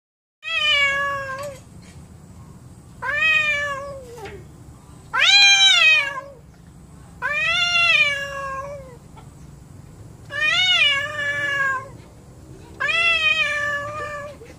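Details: Domestic cats, described as angry with each other, indoors: six drawn-out, harmonic-rich meows, each rising then falling, about one every two seconds, over a low steady hum.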